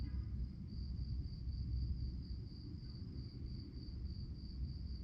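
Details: Crickets at night give a continuous high pulsed chirping, the beats evenly spaced and steady, while a strong deep rumble fills the low range underneath.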